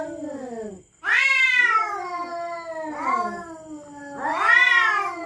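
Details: Territorial cats at night threatening each other: drawn-out, wavering yowls with rich harmonics, rising and falling, in three long bouts separated by a brief silence, the last swelling loudest.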